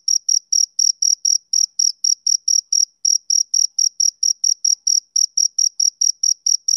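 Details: A male cricket chirps on a summer evening, with bright, high, evenly pitched pulses in a brisk series broken by a couple of brief pauses, each chirp crisp and equally loud against total quiet.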